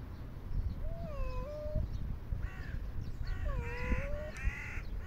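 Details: A stray cat being brought food outdoors gives drawn-out, tonal meows that bend and dip in pitch, about four calls in five seconds, over a steady low rumble of background noise.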